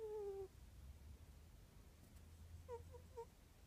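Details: Sleeping house cat Morris snores in a small room. A half-second nasal whistle slides slightly downward, then three short squeaky peeps follow in quick succession over a low background rumble.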